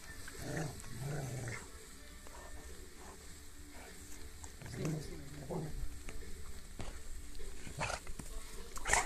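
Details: Rottweiler named Rocky playing with his rope, giving low, rumbling growls in short bursts near the start and again around the middle, over rustling and handling noise.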